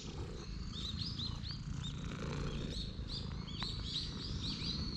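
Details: Stray cat at a temple that dashed straight toward the person, recorded on a GoPro HERO8: low, steady rumbling purr throughout, with many high chirping birds calling overhead.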